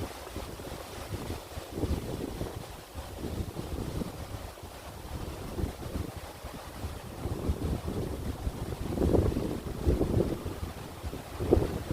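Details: Wind buffets the microphone at a stone-walled lotus theme park, giving a low gusty rumble that swells toward the end, with no frog or other animal calls audible.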